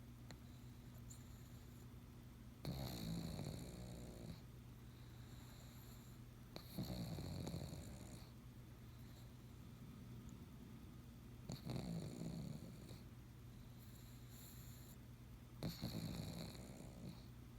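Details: A pug snoring, with four loud, rasping breaths about every four seconds. Each is a rough, snorting rumble, and a steady low hum fills the quiet gaps between them.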